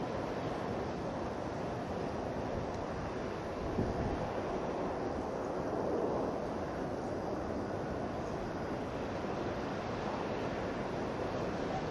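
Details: Steady broadband rumble of wind or distant engine noise, with no animal calls heard.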